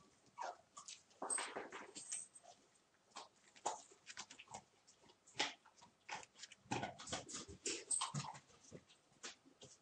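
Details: Month-old puppies of a litter playing together indoors, giving short squeaky yips, whimpers and small growls in quick irregular bursts, mixed with scuffling and clicking of movement.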